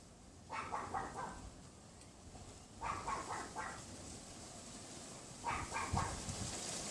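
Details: Pomeranian dogs next door yapping behind a wooden fence, out of sight, on a windy afternoon in February: three clusters of rapid, thin yaps, three or four per burst, against constant wind noise.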